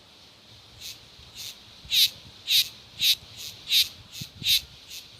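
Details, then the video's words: Cicada song: a series of loud, hissing, broadband pulses, each about a quarter second long, spaced roughly half a second apart. The first few are faint, then they grow louder, over a soft steady background hiss. "O canto das cigarras"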